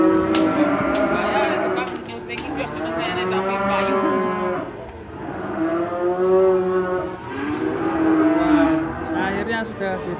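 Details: Enraged cow, its neck choked by a tight rope, bellowing in a series of loud drawn-out moos with strong harmonic stacks and slight wavering pitch, broken by sharp knocks and clatters, background music faintly present.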